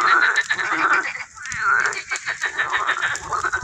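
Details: Frogs or toads calling in an educational garden pond: a continuous mass of overlapping pulsed croaking notes with brief dips, the chorus dense and unbroken.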